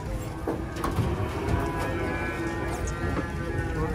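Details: Agitated cow, described as a giant spotted animal, jumping down from a truck: a low, drawn-out moo with steady layered harmonics through four seconds, under background music and crowd noise.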